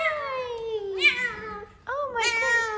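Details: Indoor F2 Savannah cat, female, greeting its owner home from work: two long, loud, harmonic meows, the first sliding steadily downward over about a second, the second rising then falling, separated by a brief pause.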